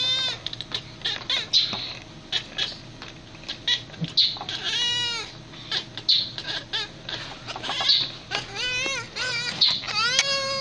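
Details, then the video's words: Domestic cat making talking noises: a run of harmonic, wavering meows, some rising and falling in arcs, others short and chirpy, repeated every second or two over a faint steady hum. "Cats Talk and make funny Noises Compilation."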